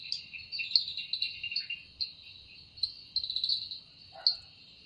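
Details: Cicada singing at evening in a forest, its sound said to be made by the wings: a continuous high, shrill buzzing drone with pulsing swells of loudness, plus a brief lower chirp near the end.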